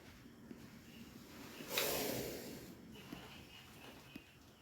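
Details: Cobra rescued from a warehouse in Manickampalayam, Erode, giving a single breathy hiss of about one second. It rises sharply and then fades against faint background noise and soft handling sounds.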